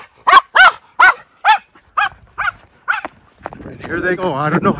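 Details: Miniature Schnauzer brothers playing in deep snow in their yard in Aroostook County, Maine, in February; seven clear, evenly spaced barks roughly every half second, fading slightly, then a person's voice talking over the end.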